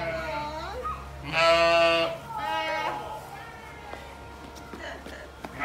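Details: A lamb gives two loud, wavering bleats, the first long and quavering, the second shorter; recorded 1 May 2021.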